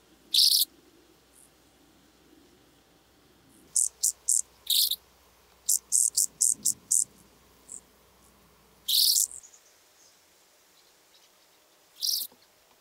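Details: Blue band-winged grasshopper recorded at Mörnsheim, Germany, 14 July 2023, giving short, sharp high-pitched scraping bursts at irregular intervals, some single, some in quick clusters of three to five, separated by near silence.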